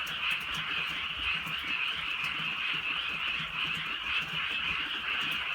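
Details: Frogs chorusing on a rainy countryside night. Dense, rapid croaking pulses without a break, with soft rain ticks scattered across the steady drone.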